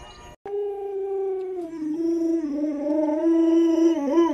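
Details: Alaskan Malamute named Luoluo, a pet dog that looks after its young owner, gives one long, steady howl with rich harmonics. The tone holds level, wavers in the middle, then climbs slightly and grows louder toward the end, following a brief thump at the start.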